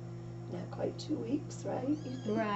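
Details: Little kittens recorded on 13 May 2017 give short, high mewing cries with stacked harmonics, strongest near the end, over a steady low hum and people talking indoors.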